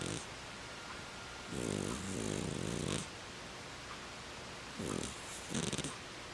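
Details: Penny Pumpkins the ferret sleeps on a heated throw, giving soft rasping snores: one long two-part snore in the middle, then two shorter breaths near the end, over a steady indoor hiss.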